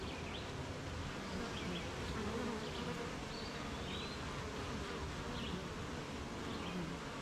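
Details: Beehive of honey bees on a rainy morning, workers busy making honey; a dense, rough low hum blended with hiss, occasional faint bird chirps higher up.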